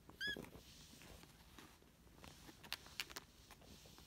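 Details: Small tortoiseshell kitten, one of the last two foster kittens from spring 2017, lets out a very short high squeak at the start, then scattered clicks and rustling in a quiet room.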